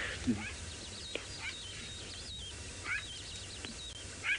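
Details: A jackal in the Masai Mara, on a sunrise drive on 23 October 2017, tails lions and gives sharp, high yelps about every second and a half over outdoor hiss, seemingly upset at getting too little of their leftovers.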